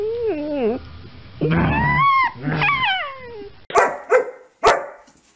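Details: German Shepherd dog pressed for a kiss, first letting out drawn-out falling whines in three long bursts, then three short sharp barks near the end, while a person talks close by.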